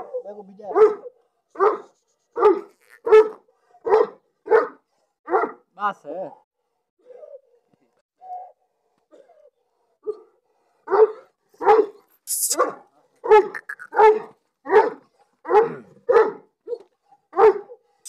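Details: Pakistani Bully dog barking in a steady series of sharp, full barks, roughly one every 0.7 seconds. After a pause with a few soft sounds, it resumes barking just as regularly.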